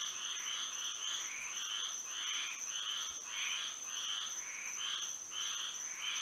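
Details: Frogs singing at night under moonlight in Florida: a dense chorus of repeated bright croaking pulses, about a hundred per minute, overlapping callers, over a steady high insect-like drone.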